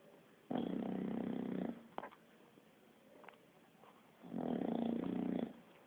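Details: Sleeping bulldog snoring indoors like a person, two long rasping snores with low harmonic buzzing, each lasting about one second, separated by quiet breathing.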